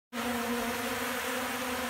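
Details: Hungry honey bees feeding on cracked corn from a keeper's hand in Central Alabama: a steady, dense buzzing hum with an even low drone and bright overtones, unbroken throughout.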